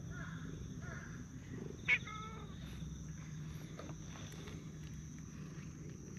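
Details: Stray cats in a park, a tortoiseshell and a brown tabby, vying to be petted: two short soft meows, a sharp click, then a longer, clearer harmonic meow, all over a steady low outdoor rumble.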